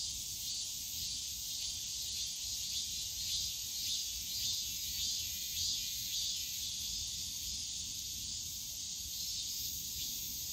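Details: Cicadas calling on a summer day in the bamboo forest of Yongsan Family Park, a shrill buzzing band that pulses in rhythmic surges about every second or so during the first half, then settles into a steadier drone.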